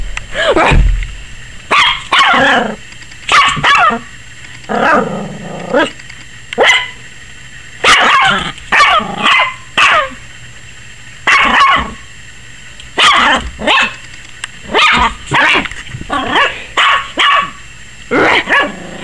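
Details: Repeated shrill yapping from Maggie, a 21-week-old Yorkie puppy scared of the camera; quick barks in irregular clusters, some doubled, with a low thump near the start and a woman's voice afterwards.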